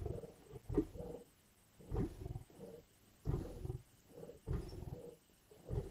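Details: Lions feeding at a kill in Indian bush, growling and biting: low rumbling growls in uneven bursts with quieter pauses, one sharper snarl near the start.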